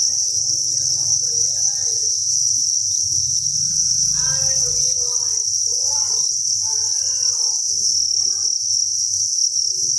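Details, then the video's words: Crickets massed in a breeding facility keep up a continuous high-pitched trilling chorus without pause, while faint human voices murmur in the background through the middle of the recording. "Cricket Chirping Sound"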